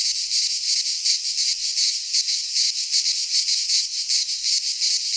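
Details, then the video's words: Midsummer cicada chorus from a pine forest in Greece, a steady shrill hiss pulsing in quick regular waves, several insects overlapping without pause. "Cicadas singing in midsummer - Nature sounds from the Greek fauna - Sounds of cicadas"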